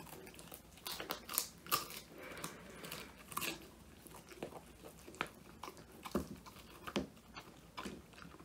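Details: Woody, an Old English Sheepdog male born 2019, gnaws a whole handmade quail treat, his first, captured on a phone: scattered loud crunches and softer crackling bites at uneven intervals.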